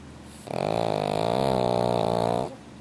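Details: Heavy snore from a pug dozing soundly in a heated room: a single steady, buzzing, nasal drone of about two seconds, loud and even throughout, then it stops abruptly.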